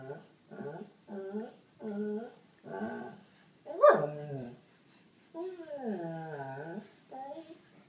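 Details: Seven-year-old white lab Sadie complains indoors, trying to get black pug Holly to play: a series of short moaning whines, then a sharp louder yelp-like bark near four seconds, followed by a long, sliding, drawn-out groan.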